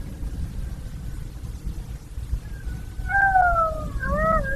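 A golden jackal howls, a drawn-out tone that swells and then breaks into a quavering, rising and falling wail.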